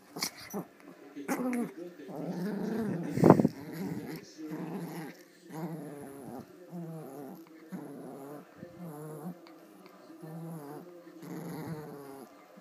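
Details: Two fluffy female Pomeranians at play over a toy, the larger giving play growls. Soft, wavering growls run on and off throughout, with one sharp loud sound near the three-second mark.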